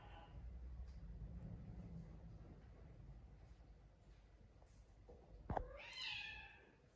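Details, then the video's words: A house cat named Naomi, kept among exotic pets, lets out one short, loud, rising-then-falling meow near the end after a faint cry at the start and a sharp knock. "Do you love me? I love you, but my head hurts. That's what Naomi the cat says"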